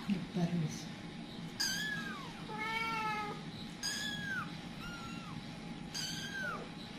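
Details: Scattered kittens with a panicking mother cat; repeated shrill descending kitten meows, some arched, about every second or two, with brief clattering bursts and a continuous low hum in the background.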